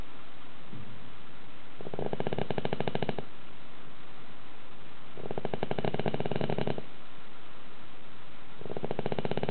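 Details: Pet dog sleeping soundly indoors in a tilted house, snoring as loudly as a middle-aged man; three rough, buzzing snore bursts about 1.5 seconds long come roughly every 3.5 seconds, separated by quiet breathing pauses.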